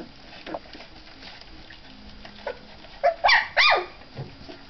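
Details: Three-week-old puppies at their first meal of milk and mixed food, recorded 4 March 2011; a few short rising whimpers and yelps come in a cluster near the end over a low background hum.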